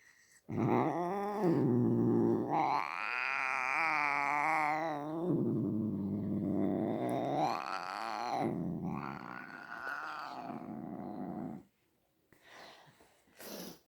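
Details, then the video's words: Domestic cat uttering several long, loud yowls, each rising then falling in pitch with a rich, whining, nasal tone and brief pauses between; faint rustling after the last call. "My cat making sounds"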